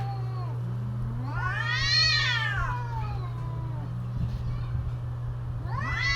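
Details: Cats calling during mating season, a drawn-out wavering yowl that climbs and falls around the two-second mark, with a rising wail starting at the end, over a steady low hum.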